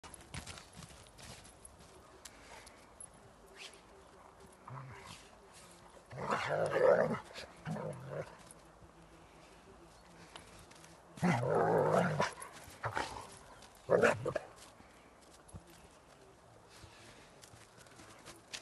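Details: Two working-line German Shepherds, mother Dona and daughter Abby, playing together in the snow at their kennel; rough, harsh growling bursts come in three bouts, around seven, twelve and fourteen seconds, between quiet stretches with faint movement noise.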